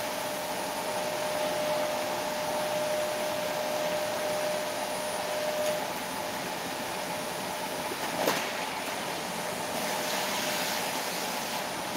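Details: Continuous vacuum-like mechanical roar with a steady hum and one brief thump.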